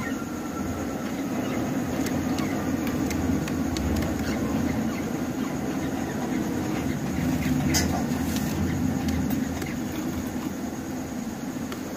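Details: A continuous low rumble and hiss, like a train or engine, fills the recording from start to finish. Only faint scattered clicks sit above it, with no distinct animal voice.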